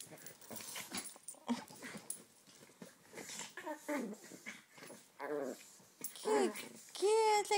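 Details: Chihuahuas Flicker and Tootie playing with Duncan, known as The Dunkie, at a South Florida foster-home dog rescue. Scattered low growly grumbles give way to rising-and-falling whines and squeaky yips toward the end, with a woman's voice talking over them.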